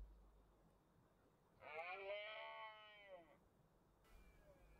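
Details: A single red deer rut bellow from the Cantabrian Mountains in autumn 2023. One rich, harmonic roar lasts nearly two seconds, swelling and then sagging in pitch, followed by quiet with a faint low hum.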